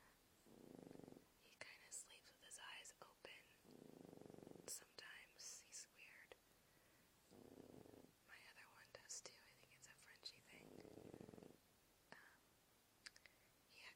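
A sleeping French Bulldog gives low, throaty snores that swell and fade roughly every three seconds. A person whispers over it almost continuously, the soft hissing words often louder than the dog.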